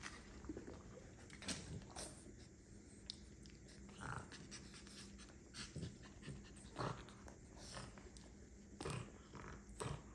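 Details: Milli, a French bulldog mother with her pups, heard indoors: soft breathy panting in irregular puffs, some stronger bursts near two, seven and nine seconds, over a faint steady low hum.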